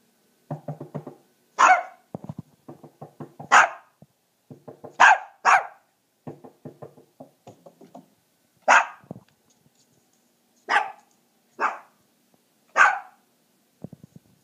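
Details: Puppy provoked on purpose to prove its loud voice barks in bursts: clusters of quick low yaps broken by sharp, high, piercing barks roughly every one to two seconds, then spaced single barks.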